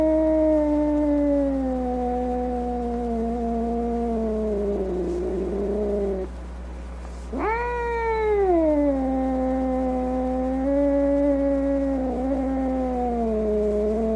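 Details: Angry cat making drawn-out, slowly falling moans, then a sudden sharp rising yowl that sinks back into a sustained low wail; a faint steady hum runs throughout.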